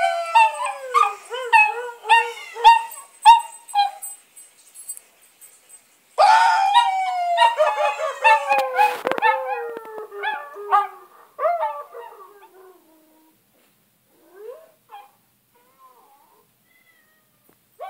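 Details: Dogs and puppies howling in reaction to a person's singing: wavering, sliding howls with rich overtones, an early run of short rising-falling notes, then a louder falling howl around six seconds, fading into quiet whimpers near the end.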